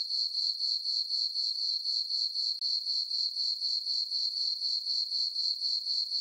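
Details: Summer-night crickets in a moonlit farm meadow give a shrill, regular chirping, about four pulses each second, holding one high pitch throughout, alone on an otherwise silent background.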